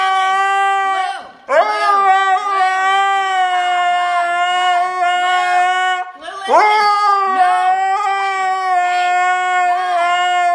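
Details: Scolded for getting into the trash, the Siberian Husky Blu keeps up a sustained, steady-pitched whining howl in three long stretches separated by short breaths, and a person speaks throughout.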